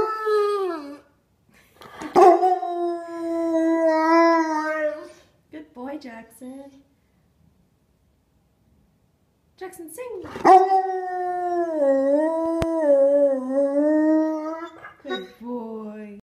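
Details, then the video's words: Brown Labrador retriever, a three-year-old male, singing on command indoors: a drawn-out wavering howl, short broken notes, a silent gap, then another long howl that dips and rises before trailing off in short yelps. "Brown Lab Sings on Command!"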